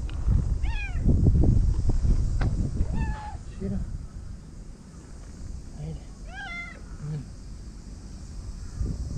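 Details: Stray cats gathering in a Japanese park before dinner, a white cat joining in; three short meows spaced a few seconds apart, each bending down at the end, amid wind rumble and a person's voice.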